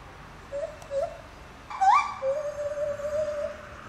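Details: Song of a captive lar gibbon, Safaripark Beekse Bergen, 9 July 2021: a few soft hoots, one sharp upward swoop, then a long steady tone held for nearly two seconds.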